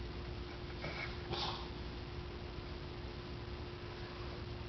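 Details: Pug sneezing after the space between his face and nose is rubbed, something that makes him sneeze every time; one short, breathy, snorting burst about a second in, set against a steady indoor hum and low background noise.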